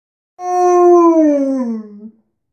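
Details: Alaskan Malamute dog barging into the bathroom, giving one long smooth harmonic howl that starts steady and slowly slides downward over nearly two seconds, with no other sounds.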